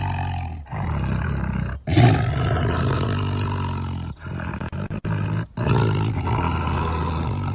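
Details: Deep, resonant tiger roars delivered in long rolling phrases, separated by short silent breaks, heavy with low rumbling tones.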